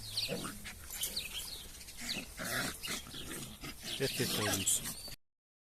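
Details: Drahthaar (German Wirehaired Pointer) puppies, several young dogs shown one after another, giving high, thin whines and short yelps in quick irregular bursts, mixed with a person talking close by throughout.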